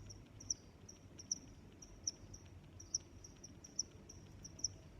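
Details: Crickets chirping: bright, high-pitched chirps recurring roughly every 0.8 seconds over a soft continuous trill, with a low, muffled noise bed underneath.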